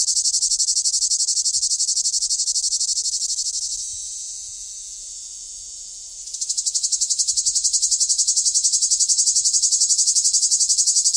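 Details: Summer cicada producing a continuous shrill buzzing drone that sags and quiets between four and six seconds, then surges back to full, pulsing strength until the end.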